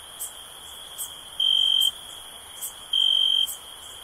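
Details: Two bright, even cricket chirps of about half a second each, separated by a second and a half, over a faint continuous high whine and occasional soft ticks.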